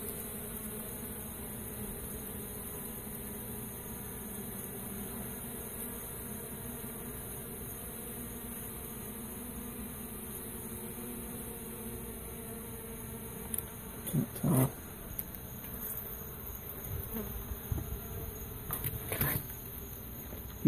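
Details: Even, unbroken hum of a rescued honey bee swarm as it is placed into a new hive, low and droning for most of the stretch, then interrupted by several scattered knocks and scraping sounds toward the end.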